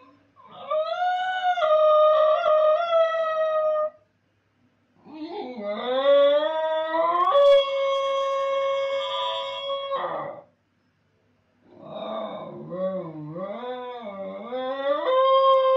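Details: Basenji howling indoors while its owner is gone; three long, loud, tonal howls that waver and bend, the last one yodel-like with quick up-and-down wobbles, separated by short silences.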